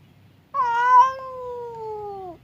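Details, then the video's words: A domestic cat yowls at another cat, fight-ready but kept apart by a partition; one steady, moaning wail about two seconds long, held level and then sagging slightly at the end, over faint low hum. "SUARA KUCING BERANTEM | cat fight sound effect"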